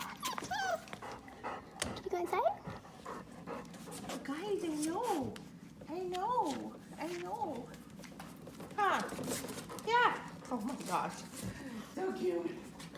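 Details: Oakley's four-week-old puppies cry with drawn-out wavering whines that rise and fall in pitch, several long wobbling cries in a row and a louder burst near the end, mixed with a person's cooing voice and rustling.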